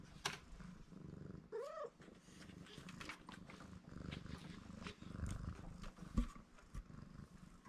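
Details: Black-and-white tuxedo stray kitten, one of a rescued pair, purring as soon as someone comes near: a steady low rumbling purr throughout, broken early by one short rising meow, with scattered clicks and handling noises.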